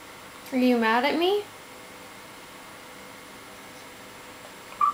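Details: A 7-month-old French Bulldog, upset about how few treats he is given, gives a short, moaning yowl that bends up and down in pitch, then falls quiet.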